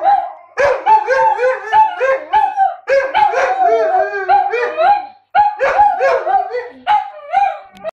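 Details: German Shepherd cross Husky giving a rapid series of yodelling, howl-like barks, about two per second, each note bending up and down, in bursts separated by short pauses.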